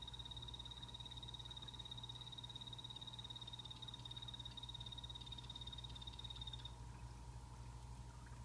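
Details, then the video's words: Captive blue-bellied poison frog in a naturally planted vivarium giving a sustained high-pitched buzzing trill for nearly seven seconds, then stopping, with a steady electrical-sounding hum underneath throughout. "Sound Of Poison Dart Frogs Calling (hyloxalus azureiventris)"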